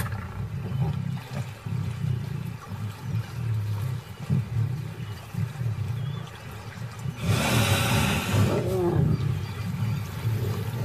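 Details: Lion pride feeding on a dead hippo washed up on a riverbank: deep, continuous rumbling growls and snarls overlap throughout, broken by one harsh, loud snarling burst lasting about a second before the low growling resumes.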